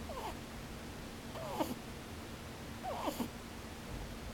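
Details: Rabbit asleep with open eyes, snoring 'pu-pu, bu-bu': faint wavering squeaks, then two clustered bursts of descending squeaky notes about a second and a half apart, over a quiet room's constant low hum.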